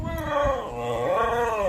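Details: Frightened German Shepherd crying after hiding from the noise of bombs (firecrackers). It gives a continuous, tremulous whine that rises and falls twice, with faint human voices underneath.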